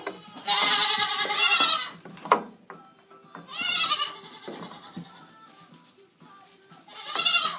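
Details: Penned goats of Pygmy, Pocket and Fainting breeds calling: three trembling, nasal bleats spaced a few seconds apart, with a sharp knock and soft rustling in the gaps.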